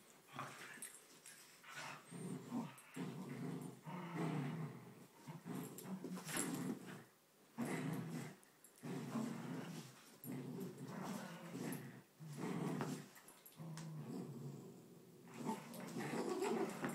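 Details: Two poodles, Bailey and Chloe, fighting indoors over a grandmother's blanket: continuous low rumbling growls in long bursts separated by short pauses, with occasional sharper snarls.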